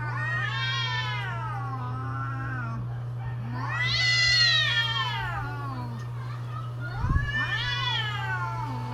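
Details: Mating-season cats give three swelling, arched yowls, each rising then sinking in pitch, with a brief knock near seven seconds and a steady low hum in the background.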